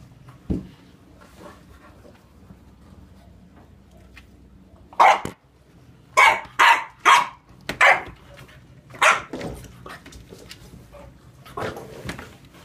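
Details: Friends English Bulldog Sunny and Olde English Bulldog Emma romp together, letting out a run of loud, gruff barks in quick succession after a quieter start, about one per second, then a last bark near the end.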